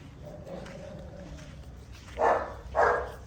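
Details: Tibetan Mastiff puppies, with a low murmur and a faint steady tone at first, then two loud, rough barks close together near the end.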